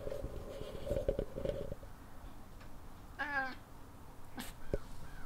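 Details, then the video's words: A cat talking to birds gives a brief rapid chattering burst of clicking, stuttered notes with a few short meow-like sounds, over a low steady hum and background noise. "Cat Chattering Meowing at Birds"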